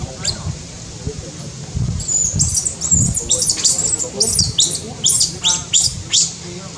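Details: Newborn baby monkey in Cambodia, born high in tall trees, gives a run of thin, very high squeals, about a dozen sharp rising-falling notes in quick succession over several seconds, with a low rumble of background noise beneath.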